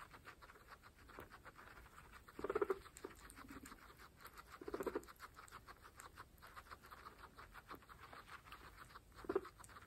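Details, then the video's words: Guinea pigs, pregnant females, munching fresh grass: soft rapid chewing clicks run throughout, broken by a few brief low pulsed chuts spaced a couple of seconds apart. "Pregnant Guinea Pigs fresh grass Mukbang (ASMR)"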